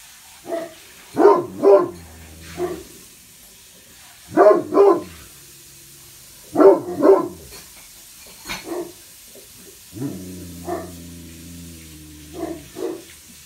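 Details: Two Great Pyrenees house dogs, Blanche and Lee, on watch at upstairs west and east bay windows; low resonant woofs in doubled and tripled bursts, then drawn-out groaning barks near the end.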